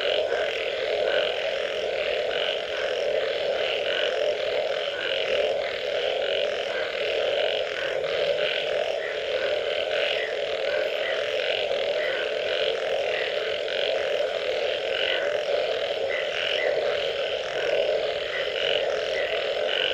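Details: Frogs calling after rain: a dense, unbroken chorus of many overlapping croaking voices, with a steady low hum beneath and faint blocky notes rising out of the mass throughout.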